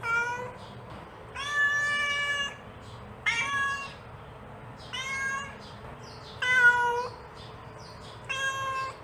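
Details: Calling her kittens, a mother cat gives a series of six rich, nasal meows at irregular intervals of one to two seconds, some level and some gently wavering, against a low steady background hum.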